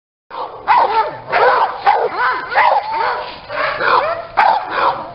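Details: Small dogs at a breeding kennel in Aquitaine, France, where Maltese, Yorkshire terriers, chihuahuas, Pyrenean shepherds and West Highland terriers are raised; a run of high, bending whines and yips, strong and repeated over five seconds, with no other clear sounds.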